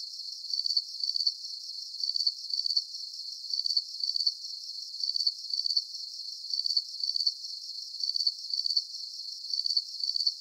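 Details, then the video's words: Relaxing cricket sounds for sleep: a very regular stream of shrill, pulsed chirps, each a tight burst of clicks, repeating about twice per second for ten seconds over a soft high hiss. "Calming Cricket Sounds"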